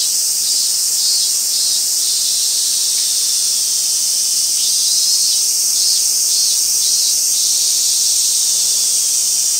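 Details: A robust cicada (Hyalessa maculaticollis) sings a loud, high, pulsing drone in steady, repeated beats, recorded 28 August 2021 on a hill in Japan; part of the song may be a separate recording overlaid.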